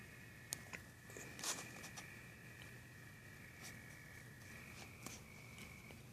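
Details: Crickets produce steady, high, unbroken trills at two close pitches that run through the whole stretch, with scattered soft clicks and crackles over a low hum.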